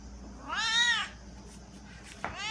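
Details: Domestic cat giving a drawn-out, wavering "ghost" meow directed at her human; one long harmonic-rich meow of about half a second, then a short second meow starting near the end, over faint room noise.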